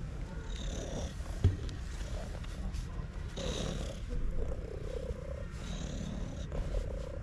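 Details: Stray cat purring very loudly while being touched by a person: a low, steady rumbling purr that swells roughly every two to three seconds, with breathy hiss on each cycle and faint background noise.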